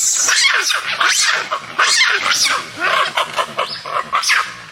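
A monkey gives loud, shrill squealing calls that swoop up and down in quick succession.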